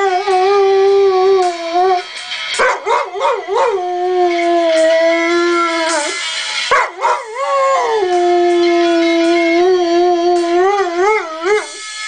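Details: Pet dog named Charlie howling at one particular phone ringtone he dislikes while ignoring others; long sustained tonal howls that hold steady, then waver and wobble up and down in pitch, with the ringtone playing loudly throughout.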